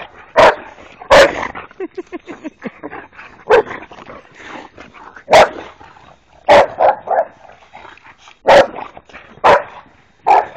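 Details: Three Boxer dogs playing wildly together, giving sharp, loud barks and yips in irregular bursts, about eight in ten seconds, with softer grumbling and scuffling noises between them.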